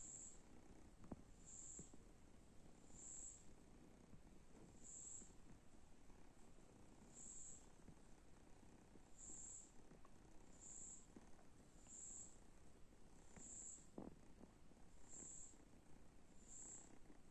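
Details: Resting kittens after play give a steady, low rumbling purr throughout, with faint high chirps repeating roughly every one and a half seconds above it.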